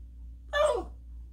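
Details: A Boston Terrier throwing a fit gives a single short, tonal whine that starts high and slides downward.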